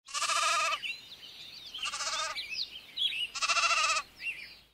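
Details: In a pastoral village setting, sheep give three loud, wavering bleats, with small birds chirping between them.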